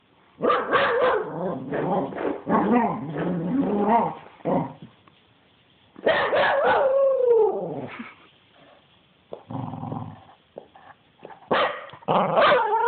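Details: A dog named Spencer in a wild fit gives dense, rapid barking and snarling in long rolling bursts, with a drawn-out, falling growl-whine in the middle and short quieter gaps between volleys.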